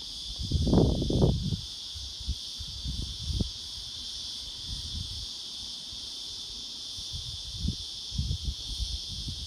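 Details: Unbroken high-pitched cicada drone from a black prince cicada, smooth and constant, with scattered low rumbling knocks and rustles, loudest near the start.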